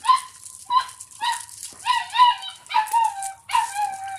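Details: Doberman puppy in the house, eating milk and playing; a quick string of short, high yelping whines with falling pitch, about seven cries in four seconds, some clipped, some drawn out.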